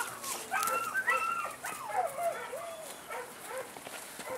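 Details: Male German Shepherd puppy in Saratov, Russia, whining in high, wavering, drawn-out tones that rise and fall, with a few short yips and soft background noise.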